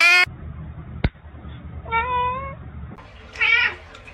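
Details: Domestic cat giving two short harmonic meows, the second rising and falling, with a sharp knock between them and quiet room noise beneath.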